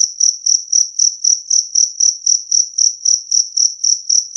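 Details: High, tinny chirps of a two-spotted cricket, offered as a loud, clear sound for driving rats away; about sixteen evenly spaced pulsed chirps, each slightly swelling, with a clean background.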